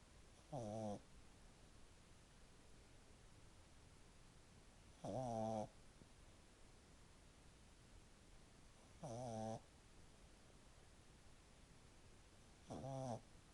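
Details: After ten minutes of play, a French Bulldog puppy snores loudly, with rough rattling breaths every three to four seconds.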